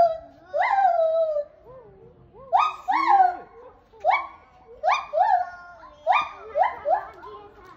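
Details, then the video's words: An excited white-handed (lar) gibbon at a zoo in Sapporo screams in loud, rising whoops that swoop up then drop, repeated every second or so. "興奮！シロテテナガザル 絶叫！ Screaming Lar Gibbon, in Maruyama Zoo, Sapporo."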